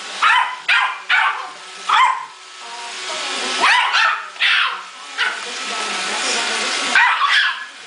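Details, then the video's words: Male Yorkshire Terrier fighting a robot vacuum cleaner, giving sharp high yapping barks in uneven bursts, several close together then pauses, over a steady mechanical hum. "IRobot Roomba Vs Yorki"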